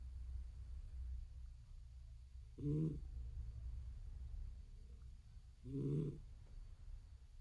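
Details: Older female pet cat sleeping soundly and snoring indoors: two short, raspy, low snores roughly three seconds apart, with a quiet low hum between them.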